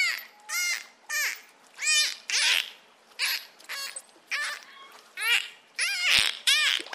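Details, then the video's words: Dolphin giving a string of short, separate whistles, each sweeping up and down in pitch with bright overtones, spaced by brief silent gaps over about seven seconds. "Dolphin sound"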